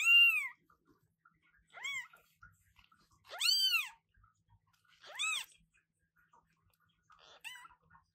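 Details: A newborn British Shorthair kitten, born 2023-08-15, meows very loudly with high, arching mews repeated every couple of seconds.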